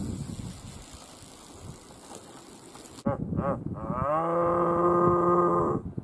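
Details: Red deer stags roaring at a distance in thick forest near Lake Waikaremoana, New Zealand, during the rut on a windy day: a deep, harmonic roar, short bursts then one long moaning bellow, after a rustling start.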